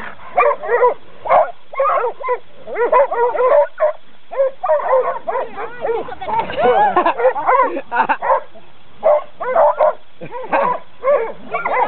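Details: Coonhounds in training bark in irregular clusters of harmonic, mid-pitched calls, with a dense overlapping stretch midway and human voices mixed in.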